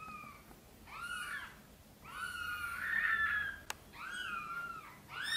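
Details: Sonny, a mother cat, meowing gently for help to bring her tiny kittens into the nest: three drawn-out, bending meows, the middle one longest and loudest, separated by short quiet gaps, with a single faint click.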